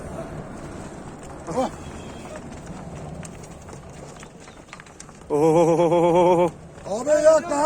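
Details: Recently calved cow bound for Manisa, Turkey: after quiet outdoor murmuring and a brief sound, a sustained wavering moo of about a second, then a shorter rising call.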